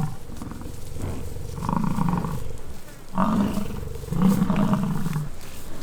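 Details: Bison bulls in the rut on the Peace River Ranch, British Columbia, Canada, giving three long, low, growling bellows about one to two seconds apart, each swelling and fading, over steady outdoor rumble.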